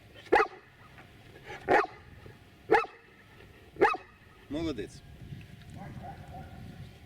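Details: Giant Schnauzer performing a counting trick, barking on cue to answer two plus two: four sharp, evenly spaced barks about a second apart, then a man's voice praising the dog.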